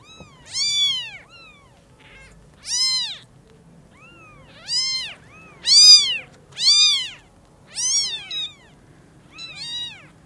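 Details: Newborn kittens at Lucky Paws greeting their mother cat for the first time after their eyes opened; loud piercing mews in quick succession, about one per second, with fainter answering cries between them.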